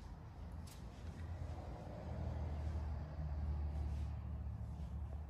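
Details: Low rumbling vehicle and traffic noise outdoors with no animal sounds audible.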